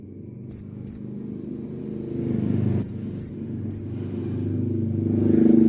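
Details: Cricket giving a few high, clean chirps in two short bursts, two then three, over a rising low rumble of background noise.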